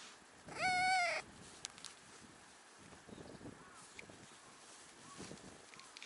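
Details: Stray brown tabby cat on a Japanese cat island, wanting to be taken onto a lap: a single half-second meow with a steady, slightly wavering tone, then quiet outdoor background with scattered rustles and clicks.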